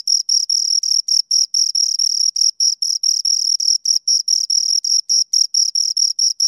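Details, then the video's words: Shrill, high-pitched cricket pulses from two crickets repeat rapidly, about four to five per second, some merging into brief continuous trills; nothing else is audible. "Two Crickets Chirp Sounds"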